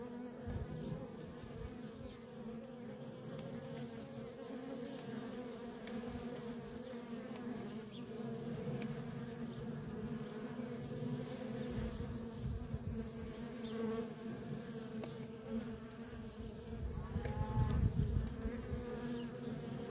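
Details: Honey bee workers swarming in and out of a feral colony, a sustained layered drone. There is a faint rapid high ticking midway, and a low rumbling swell grows toward the end.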